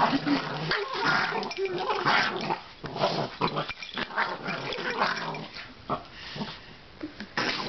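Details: Boston Terrier giving throaty, pig-like grunts and rumbling growls in a dense, uneven run of about one burst per second, with faint human speech in the background.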